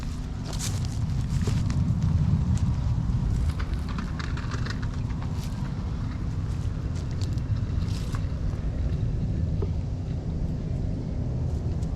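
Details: Low rumbling outdoor wind noise on the microphone with scattered light rustles and steps, and no animal voice.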